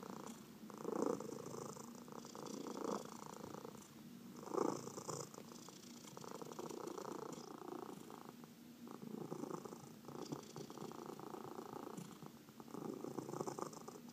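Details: Domestic cat purring while being massaged, one of four pet cats; a steady pulsed rumble swells and fades in breath-length phases, loudest near the first and fifth seconds, with soft rustling of handling throughout.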